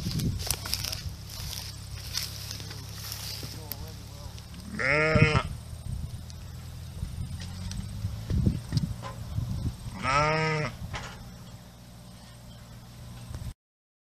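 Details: Farm sheep bleating twice about five seconds apart, short quavering baas over a background of rustling, low rumble and scattered knocks.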